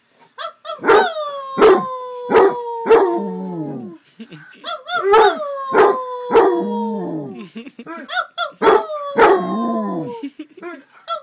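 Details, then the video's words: Male pet Basset Hound barking in bursts of two or three, each run trailing into a sustained, falling howl, repeated steadily over several seconds. "My Bassett hound howling/barking"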